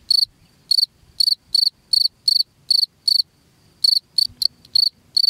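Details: Chirping cricket meant to keep rats out of the house: steady high pulsed chirps about every third of a second, a pause near the middle, then quicker broken chirps close together toward the end.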